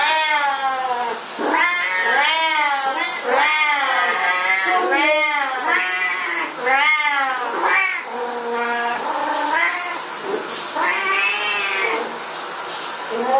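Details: Siamese cats at shower time give loud, drawn-out meows that rise and fall, one after another almost without pause.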